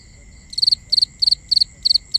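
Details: High, pulsing chirps of a cricket at night in binaural sound, six clustered trills arriving about every third of a second after a quiet start, over a continuous thin insect whine.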